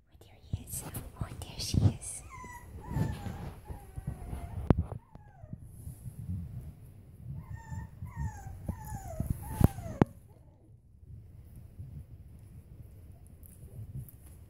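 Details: Five-week-old Bolonka puppy at play: short series of high, thin whines that slide downward, two bursts several seconds apart, among rustling and handling noises with a soft human voice.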